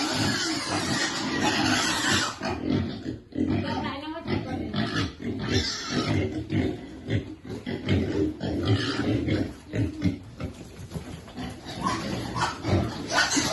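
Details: Pigs feeding piglets in a Cambodian village, making a steady stream of low grunts and harsh squeals in bursts, with some human voices and handling noise in the background.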